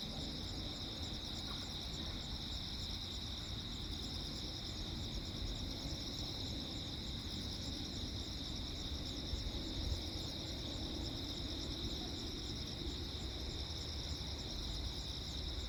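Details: Crickets calling calmly through a lightning storm at night on Jeju Island, South Korea, 15 August 2024; unbroken high pulsed chirping chorus over steady low noise, with a brief thump near the end.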